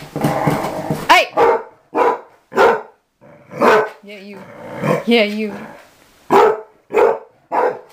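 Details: Mamie, a dog around six or seven years old learning to be an inside dog after living outdoors, barks irregularly while a person talks over and between the barks.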